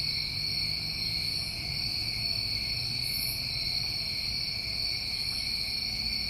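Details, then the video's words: Summer night chorus of New England crickets, an unbroken shrill trill holding level throughout, layered in two pitch bands, with occasional faint higher chirps and low hum underneath. "Over 1 Hour Of Tinnitus Masking With Crickets"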